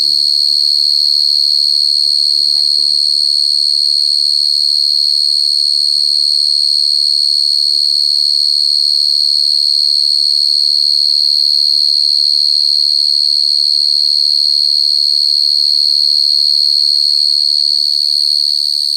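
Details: Cricket chirping steadily and loudly, a shrill high note pulsed evenly about three times a second, accompanied by occasional faint low murmuring sounds.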